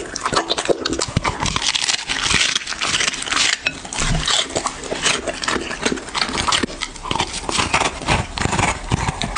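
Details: Dog eating, close-miked in ASMR style: dense, rapid crunching and smacking chews in sharp packed bursts across nine seconds, with a few lighter pauses between mouthfuls.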